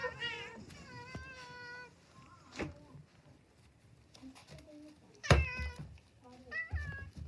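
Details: Domestic cats eating cat grass indoors give several harmonic meows, some rising then falling, with short quieter mews between them, along with chewing and knocking noises in a small room.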